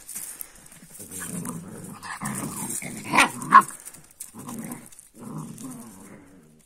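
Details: Kangal puppies, young Turkish shepherd dogs, playing together: bursts of low rough growling and short higher yelps in uneven runs, with a sharp squeal near the middle, gaps of quiet and faint background hiss.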